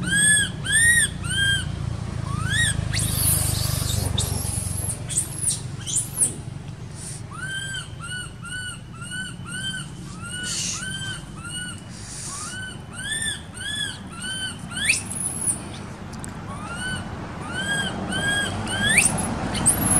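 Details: Baby monkey living in an archaeological park, crying while its mother ignores it: a long run of high, arched, whistle-like wails, some sliding upward, repeated about every half second with short pauses, over low rumbling background noise.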